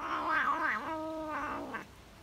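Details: Tabby cat eating cheese, making varied sounds while enjoying every bite: a wavering, nasal, moaning vocalization lasting under two seconds, with a bending tone that dips and rises, indoors.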